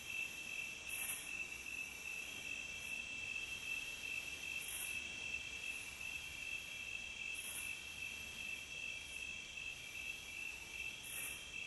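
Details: Crickets in a nature recording, a steady shrill high chirping in dense bands, pulsing rapidly with little change, with brief hissy bursts every couple of seconds over a faint low background hum.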